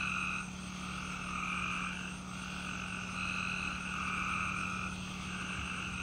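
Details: Many peepers calling outside with crickets, their massed calls merging into a throbbing chorus that pulses and pauses briefly, backed by thin high cricket chirring and a continuous low-pitched drone.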